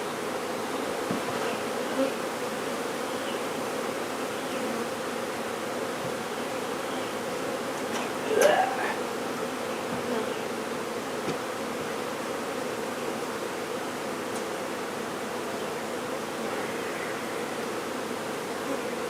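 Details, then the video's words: Continuous low humming of a honey bee swarm during its removal, steady for the whole length, broken only by a short sharp rising sound midway and a few faint knocks. "Honey Bee Swarm Removal"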